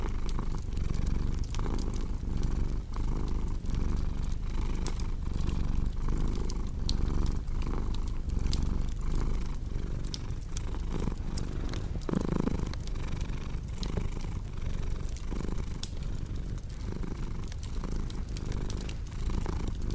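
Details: Cat purring in a relaxing fireplace setting: a deep, continuous rumbling purr pulsing with in and out breaths about once a second, with frequent snapping crackles from the burning fire throughout.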